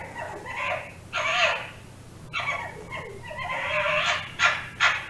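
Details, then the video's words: Fox calling with rough, hoarse, drawn-out cries broken by short, sharper yaps, over a steady low hum. "Efeito sonoro de raposa"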